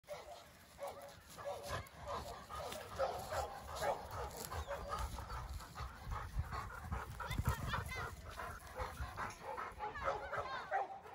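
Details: A Labrador Retriever at home pants and snuffles in quick, breathy bursts, with a few soft vocal whines mixed in.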